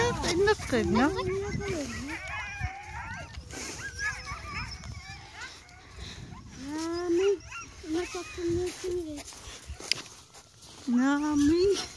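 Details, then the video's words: Greenland Dog puppies meeting puppies other than Siumut for the first time, 5/6/17: repeated high, wavering whimpers and yelping howls that rise and fall in short bursts, with people talking throughout. "Cute puppies of Greenland dog"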